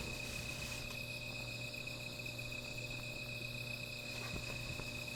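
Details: Insects calling at night beside a small fire: a steady, unbroken high-pitched trill in several layered tones runs through the whole stretch, with a constant low hum underneath and faint scattered ticks.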